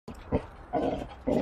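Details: Basset Hound on a trampoline giving two short, throaty barks about half a second apart, with a faint thump between and light background music.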